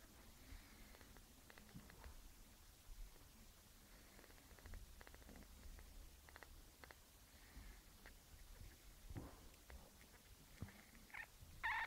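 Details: Bruce, a one-week-old kitten, purring softly indoors: a faint, low, steady rumble that runs throughout, with a few tiny high squeaks near the end, all over a quiet background hiss.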